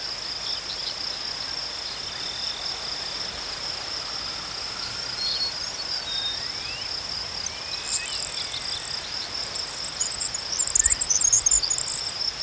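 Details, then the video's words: A constant shrill cricket trill holds one high pitch throughout. Sparkling higher chatter joins in the last few seconds, with soft, distant whistled bird notes in the middle. "Crickets chirping sounds"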